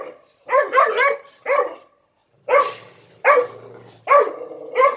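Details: Puppy three months old, acting out alpha dominance: a rapid cluster of three yappy barks, then single sharp barks repeated roughly every second.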